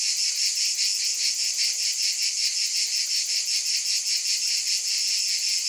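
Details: Shrill cicada buzzing, loud and unbroken, throbbing in rapid rhythmic waves a few times each second.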